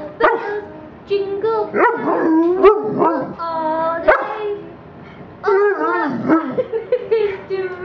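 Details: A golden Labrador retriever howls along to Christmas carols, mostly Jingle Bells, in a festive mood. Short, bending tones rise and fall in several bursts, separated by brief pauses, with one sustained note before a quieter gap.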